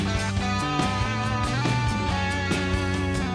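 Only music is heard, a strummed guitar with a steady beat and no animal calls.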